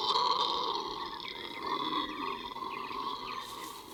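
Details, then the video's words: Howler monkeys moving through forest roar in a sustained, rasping chorus with a rough, breathy edge, their calls echoing so their location is hard to track. "You hear that? That's howler monkeys."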